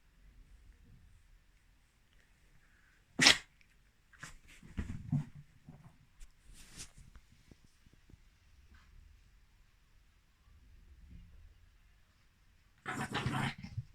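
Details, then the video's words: Chiroru, a female Mal-Shi (Maltese father, Shih Tzu mother) born 22 July 2017, sneezing indoors on 14 November 2020: one sharp explosive burst near three seconds, soft snuffling huffs after, then a broader noisy sneeze-like blast at the end. "マルシーズー ちろる くしゃみ"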